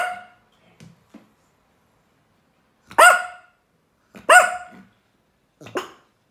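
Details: Yorkshire Terrier named Roger Wellington, one of more than ten sounds this dog makes: a few soft yips, then three loud, sharp, harmonic barks spaced about a second apart in an otherwise quiet room.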